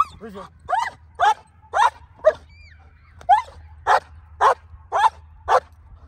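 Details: Female black German Shepherd in Colorado doing hold and bark training on command, 37 days before an IGP1 trial: loud, sharp barks about twice a second with short pauses, and a handler speaking between volleys.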